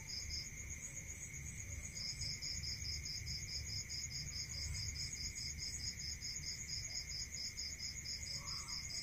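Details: Night-time crickets in a rural setting, a high continuous trill with a brisk series of evenly spaced pulsed chirps running for about seven seconds, a steady lower tone and soft low background noise.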